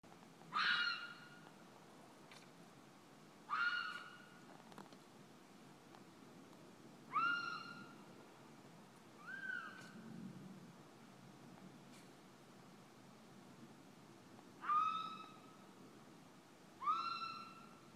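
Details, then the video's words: Fisher screaming at night in a front yard, in an area where fishers are common: loud, wailing, downslurred cries with strong overtones, repeated every three to four seconds, seven in all, over a quiet low background. "Fisher cat screaming in front yard"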